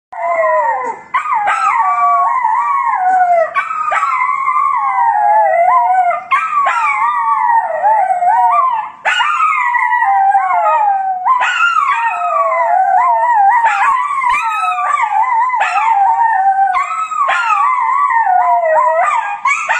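A Miniature Schnauzer gives a long, sustained howl, its voice wobbling and sliding up and down in pitch. Brief breaths break the howling every few seconds before it swells again.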